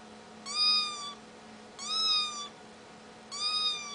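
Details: Three drawn-out kitten mews, each nearly level in pitch and lasting over half a second, evenly spaced with a soft background hum.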